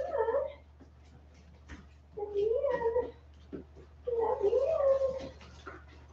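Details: West Highland White Terrier puppies, 47 days old, indoors after an outdoor break: three drawn-out, wavering whines, each rising and falling in pitch with faint harmonics, separated by quiet gaps, with a low steady hum underneath.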